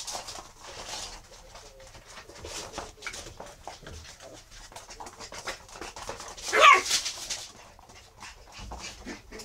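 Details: Eight-week-old Miniature Schnauzer puppies, black and black-and-silver, give soft whimpers and a brief high whine amid scuffling clicks.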